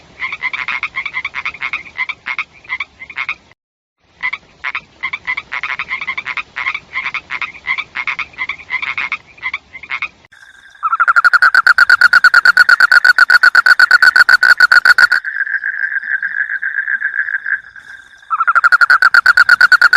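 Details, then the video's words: Frog chorus opens with choppy pulsed croaks in uneven bursts and one short pause. A much louder, fast rattling trill of croaks follows, then a steady buzzing drone, and the loud rattle resumes at the end. "SUARA KODOK | SUARA BINATANG | SUARA KATAK"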